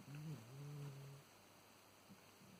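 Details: Sleeping black-and-white cat with kidney failure snoring in deep sleep: one low, droning snore in the first second, then quiet room hum.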